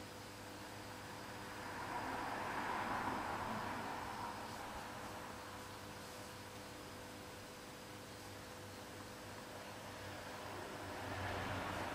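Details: Steady broadband hiss and low hum, rising and falling gently like distant traffic or a fan, with no animal sound.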